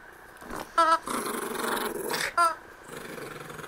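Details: Yorkshire terrier-schnauzer mix at morning play time, a low rough growl running through most of the moment, broken by two sharp tonal yelps or squeals, in a small indoor room.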